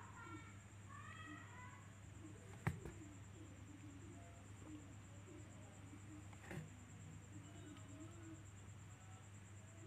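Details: Little kitten mewing: a quick series of thin, high, harmonic mews in the first seconds, then quieter faint calls, over a steady low indoor hum with a couple of sharp knocks.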